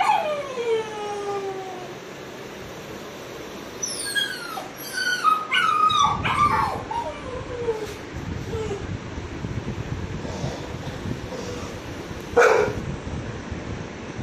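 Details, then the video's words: Puppy crying as Apollo the dog responds: a long descending whine opens, followed by scattered short sliding whimpers and a sharp yip over low rumbling noise. "Apollo's reaction on puppy crying"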